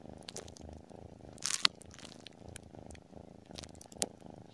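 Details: Short stretch of a tabby cat's purr while sleeping: a continuous low throbbing hum, with sharp crinkling clicks around the midpoint and again near the end.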